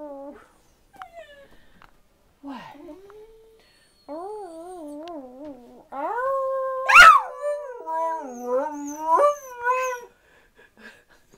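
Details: Pet dachshunds 'singing' indoors: drawn-out, wavering howls, short at first then longer and louder, with tremolo pitch wobbles and a sharp yelp midway, ending in quiet whimpers.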